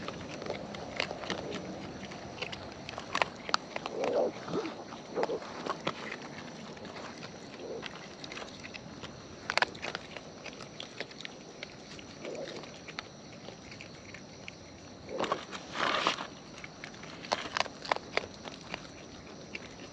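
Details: Close-up wild raccoons feeding outdoors: scattered crunchy bites and smacking chews in bursts, louder clustered crunching near the start and around sixteen seconds, with quieter rustling between.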